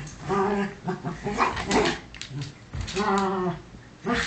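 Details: Bunny and little Cookie, two dogs play fighting inside, trade short throaty growls in two main bursts about two and a half seconds apart, broken by brief yips and scuffling.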